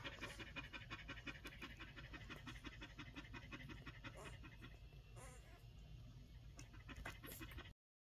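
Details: Collie pups aged one week pant rapidly and evenly, roughly three soft breaths each second, with a short human voice and light handling noises partway through before the sound cuts off at the end.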